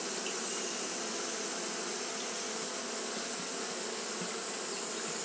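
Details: Japanese honey bees fanning in hot weather; their massed buzz forms a thick, steady drone with a rushing, airy upper layer and no pauses.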